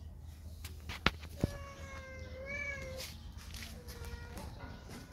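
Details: Spayed female cat in heat, two years after spaying, crying while seeking a male to mate: a drawn-out wavering wail around three seconds long followed by a shorter fainter cry, with two sharp clicks and a low hum.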